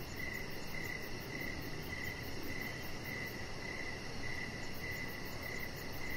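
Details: Outdoor evening crickets near a deck: evenly spaced high chirps roughly every half second, with a quiet low-frequency rumble and a steady high hiss in the background.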